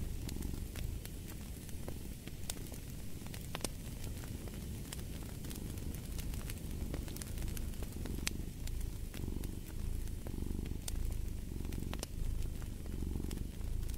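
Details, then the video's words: Low purring of a cat beside a fireplace, the rumble rising and falling in gentle breathing cycles beneath dense, irregular crackles and pops from the fire. "Fall asleep to the Purring of a Cat"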